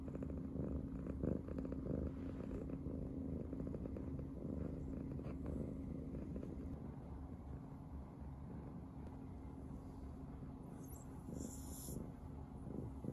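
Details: Happy purring from Riri, a brown tabby house cat cuddled up against Shiba Inu Riko's tummy; continuous deep rumble with faint rhythmic breathing pulses, a brief higher rustle near the end.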